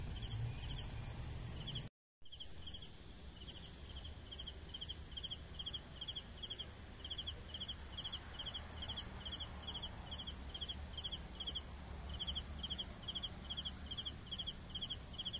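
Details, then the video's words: Crickets sounding for sleep, their quick pulsed chirps coming in a steady run roughly twice each second over a constant shrill insect drone, broken by a brief moment of silence early on. "CRICKETS SOUNDS for SLEEPING"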